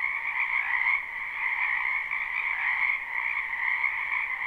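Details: Many wild frogs croaking in a spring wetland behind a house, recorded live without looping: a dense, unbroken chorus of overlapping trilling calls in two steady pitch layers, swelling and easing slightly every second or so.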